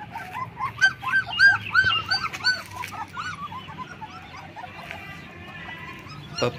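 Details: Black German Shepherd puppies, 20 days old, give thin high squealing whines in quick arched bursts over the first three seconds, then fall quieter, with music underneath.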